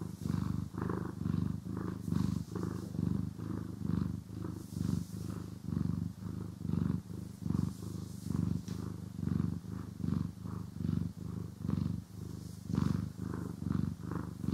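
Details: Cat purring as it is brushed and groomed, recorded in stereo: continuous low vibrating purr swelling and fading about once a second, breath-paced pulses over fourteen seconds, with light rustling of brushing and no speech.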